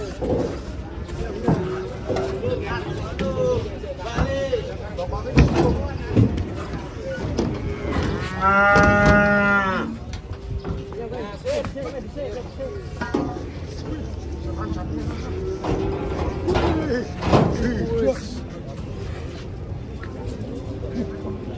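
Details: Sacrificial cattle being unloaded from a truck: one long, loud, harmonic-rich moo near the middle, with shorter lowing calls, people talking and shouting, and handling noise throughout.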